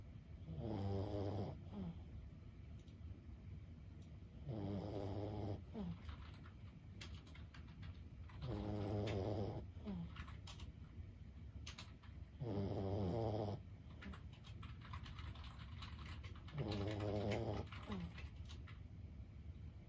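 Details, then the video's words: Lulu, a 15-year-old senior Boston Terrier, asleep and snoring. Low, rattling, throaty snores come in regular bursts about every four seconds, each roughly a second long, with quiet breathing between. "シニア犬15歳 作業のお供に最高のBGMはいかがですか？ブヒブヒ【Boston Terrier Lulu】"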